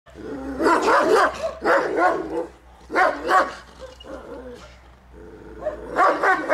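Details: Central Asian Shepherd Dog, a Turkmen Alabai, barking during a territorial guarding instinct test; deep, rough barks come in bursts of two or three with short pauses between, and a low hum runs underneath.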